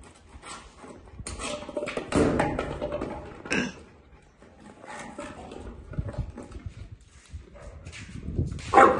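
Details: Boerboel, or South African Mastiff, from the couple Enzo and Diva living in Egypt. Irregular deep, harsh barks come in bursts, loudest around the second and fourth seconds, with quieter rough sounds between and a sharp bark at the end.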